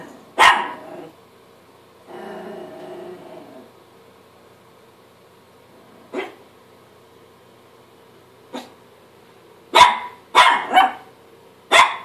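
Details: Chihuahua barking at himself in the mirror: scattered sharp barks, one near the start, then isolated ones, and a quick run of four or five barks toward the end, with a softer grumbling stretch early on.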